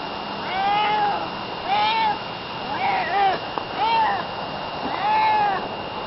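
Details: Barney the cat, a pet, meowing in a way his family says sounds like saying hello: five drawn-out, gently arching meows, each about half a second, spaced roughly a second apart, over a steady background hum.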